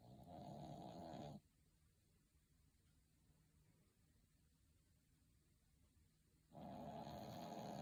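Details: Dog snoring while sleeping comfortably: a raspy, rumbling inhaled snore of about a second and a half, a quiet pause of roughly five seconds, then the next snore beginning.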